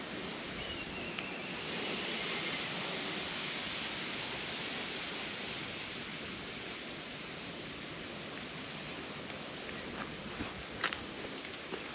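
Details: Steady broadband outdoor hiss like surf or wind, even in level throughout, with a few faint rustles and soft clicks near the end; no animal voice stands out.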